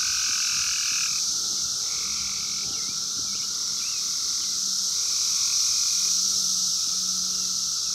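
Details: A wild chorus of 17-year Brood X periodical cicadas from 2021, recorded with a phone: a continuous piercing hiss-like whine, plus a deeper pulsing buzz that rises and falls in waves.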